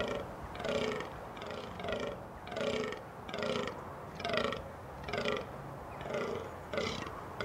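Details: A rutting fallow buck gives deep, belching groans, repeated roughly once a second. Males become vocal during the rut, which runs from September and peaks in mid-October.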